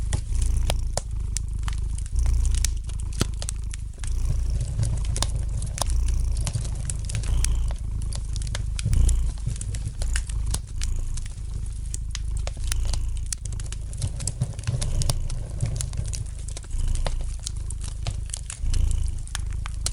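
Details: Relaxing scene of a domestic cat purring near a fireplace; the deep, buzzing rumble rises and falls in regular swells, accompanied by constant fine crackling and occasional louder pops from the fire.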